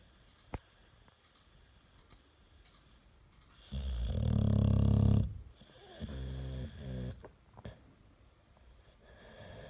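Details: Pet American Staffordshire Terrier asleep indoors, giving one long, deep rattling snore in the middle, followed by a softer, fluttering exhale, with quiet room noise before and after.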